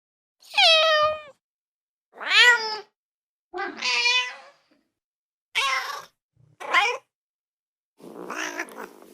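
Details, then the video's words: Domestic cat meowing while eating: six separate drawn-out meows, harmonic and slightly falling, about one every one to two seconds, the last one fainter and rougher, in an otherwise quiet setting. "고양이 울음소리, 고양이 밥먹는 소리"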